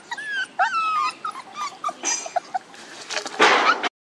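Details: Puppies one month and two days old whine in quick, wavering high squeals, one after another, while a burst of rustling, handling noise rises near the end.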